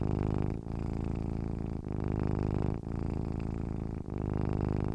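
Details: Domestic cat purring while content and relaxed: a deep, low rumbling hum, continuous and rhythmic, broken by brief pauses roughly every second as breaths alternate, louder and softer phases in turn.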